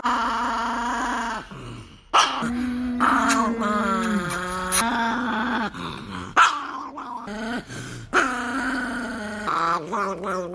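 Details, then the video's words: NiKi, a Chihuahua in an angry mood, gives drawn-out whining growls that waver and dip in pitch, separated by brief gaps and sudden sharp snaps, with faint music underneath. "The most angry 😡 chihuahua dog in the world"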